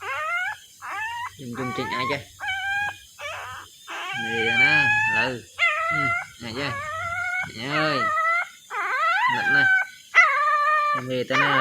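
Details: Puppy crying while searching for its mother: high, wavering whines with stacked harmonics, repeated in short bursts and longer drawn-out wails, with human voices speaking and shouting in between and a low hum underneath.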